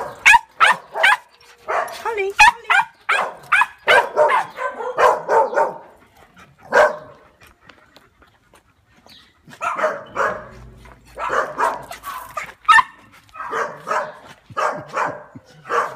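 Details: Tibetan Terrier named Holly, a rescued female back from kennels, lets out bursts of quick high barks in clusters separated by short pauses, with human voices mixed in between.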